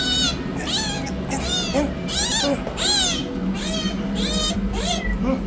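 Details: Rescued yellow kitten meowing repeatedly while running for food; high, arching meows come in quick succession, roughly every half second to second, over a steady low hum.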